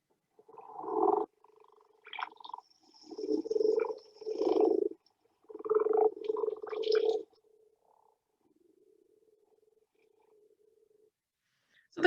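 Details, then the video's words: UK common frogs in a pond in spring give low, continuous, purring croaks in grumbling bursts, like a cat's purr, called through the water by males to attract mates; busy ponds can be deafening. "So the common frog here, you can hear it almost like a cat's purr, essentially."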